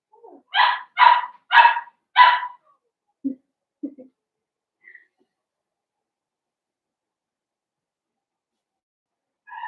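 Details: Blenheim Cavalier King Charles Spaniel puppies, a litter of five born on New Year's to Paris and Spike, on Theo's pick-up day: four bright, harmonic yapping barks in quick succession, then two short low grunts and soft whimpers before silence.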